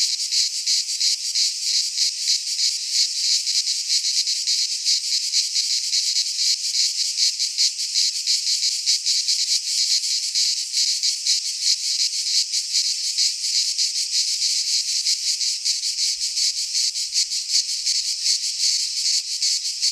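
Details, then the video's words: Greek pine forest cicadas singing through midsummer heat, a sustained shrill electric buzz holding for the whole stretch, finely and rapidly pulsed, with only faint low noise near the end. "Cicadas singing in midsummer - Nature sounds from the Greek fauna - Sounds of cicadas"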